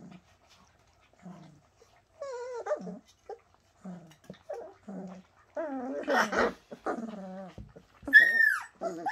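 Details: Bernese Mountain Dog puppies from Shasta whining indoors: drawn-out wavering whines and squeaky cries, some rising and falling in pitch, one shrill high squeal near the end, with quiet gaps between calls.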